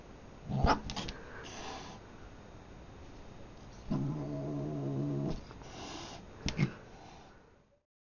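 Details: Male cat, new to the household, tussling with a teddy bear: scuffling thumps, then a low droning growl lasting about one and a half seconds, followed by more rustling and bumps.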